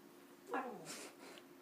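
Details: Pug indoors being offered cuddles, making a short gremlin-like noise: a brief nasal whine sliding downward, followed by a breathy snuffle.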